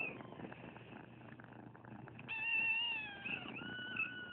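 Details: Foster kitten among many dumped on a property in Anza and rescued, letting out one long, loud wavering meow that falls in pitch and then rises again, over a soft purring background.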